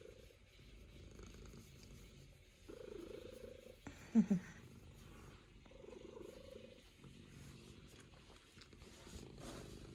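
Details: A female Norwegian Forest Cat named Luna, kneading on her owner's lap at home, produces a rumbling purr in long rhythmic waves, interrupted midway by a short loud thump.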